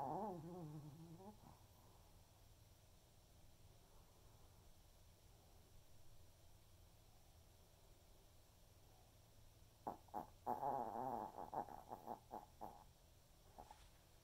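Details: Senior Pomeranian Waldo snoring during an afternoon snooze indoors: a short wavering, whistly snore at the start, then a quiet pause before a cluster of rapid, stuttering snorts and breaths near the end.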